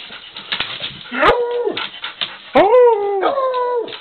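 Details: Dog howling in sustained wavering tones, several drawn-out howls separated by short gaps, with some background noise between them.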